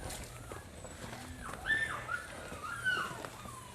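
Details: Puppies just weeks old, dozens huddled without their mothers in old trailers on a freezing, snowy puppy farm, whimper with thin, high, wavering whines that slide downward, several short cries in a row.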